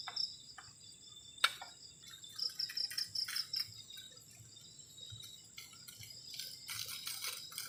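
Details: Crickets on a cold night beside a garden shelter at the forest edge: a continuous high, thin ringing tone with a short run of rapid pulsed chirps midway, mixed with sharp clicks and knocks from camp activity.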